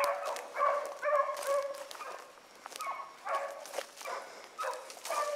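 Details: Several young hounds on a rabbit trail in the morning give bursts of ringing bays and yelps, about two a second, in uneven rhythm with short gaps between clusters of voices.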